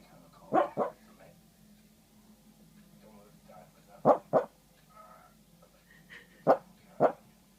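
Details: Dreaming little male dog, Feb 9, 2014: three pairs of muffled yips, each pair quick and close together, separated by a few seconds of quiet hum and faint whimpery sounds.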